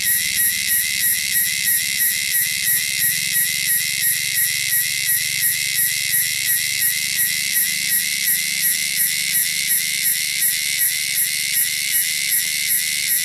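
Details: Wild cicadas native to the wilderness, loud and shrill: a dense, high, hissing buzz that never stops, pulsing about three times per second throughout, over a faint low hum.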